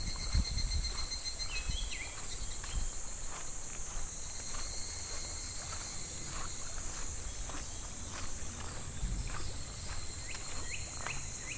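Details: Midsummer cicada chorus in July at a shallow, gently flowing clear river: a continuous bright, hissing high drone fills the whole stretch, over trickling water, a few splashy knocks, and brief chirpy notes.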